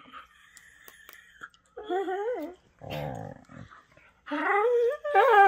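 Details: Whippets Henry and Vinny at play, chewing on each other; a wavering, warbling whine rises and falls, followed by a rough growl-like moan and then a louder, higher yodeling whine, with faint rustling beforehand.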